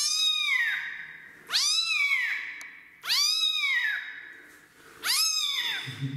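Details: During its first bath a rescued kitten that does not want to shower cries out: four strong, arching meows about every second and a half, bright and high, with a faint low murmur at the end.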